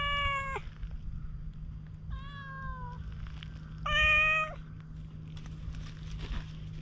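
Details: Stray cat, very guarded but slowly warming up during grooming with a cat brush, recorded on a GoPro. Three separate meows about two seconds apart, each slightly falling at the end, with a steady low hum and light rustling between them.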